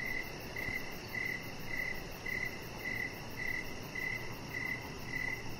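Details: On a deck in the evening, with chihuahua puppy Rocket lying nearby, crickets give crisp, evenly spaced chirps almost two per second against a soft, continuous noise bed.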